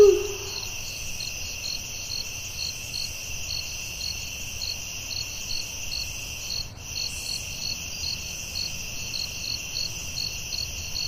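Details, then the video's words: Forest crickets calling at night, an unbroken high ringing drone with evenly spaced chirps; a short low hoot opens the passage and a soft click interrupts near the middle. "Soothing Cricket🦗 Sounds at Night for Sleeping & Stress Relief"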